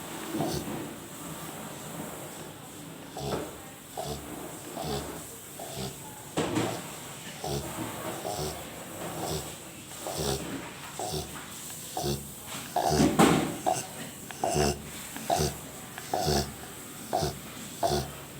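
A sleeping Rottweiler snores in rough, rumbling breaths that repeat every second or so.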